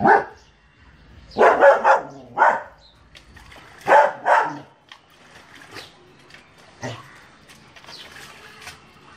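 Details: German Shepherd dog barking: a single bark, then a quick cluster of three loud, harsh barks, two more near the middle, followed by fainter scattered yips and muffled noises toward the end.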